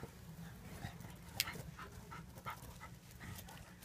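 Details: Dog panting in quick, breathy, rhythmic bursts, about three per second, with one brief sharp click near the middle.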